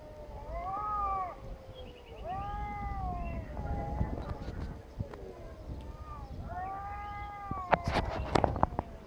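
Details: Angry cats fighting, mewing at each other: drawn-out wavering yowls that rise and fall, traded back and forth in long overlapping wails, with some clattering noises toward the end.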